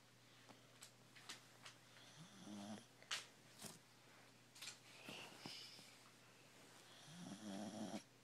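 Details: A corgi snores while asleep in slow, raspy breaths, each drawn-out rumble followed by a pause.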